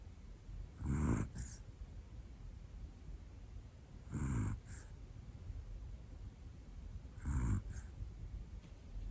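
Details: Hana, a one-year-old black female Pomeranian, snores while asleep indoors: three soft, breathy, hissing snores about three seconds apart, each with a faint second puff right after, over a quiet room.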